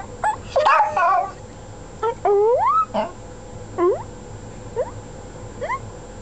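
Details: Household dogs give short rising whines that swoop upward in pitch, one longer sliding howl in the middle, then fainter upturned yelps spaced about a second apart over a quiet background.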